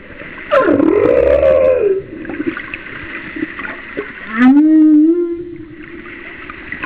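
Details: Humpback whale singing about a mile off Kauai in 2009: a swooping arched moan rising then falling, a pause of water noise, then a lower upswept whoop that levels into a sustained hum, with faint overtones above.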